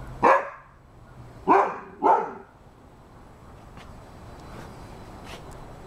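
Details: A Rhodesian Ridgeback gives three deep, rough barks, one then a close pair, followed by quiet with faint clicks.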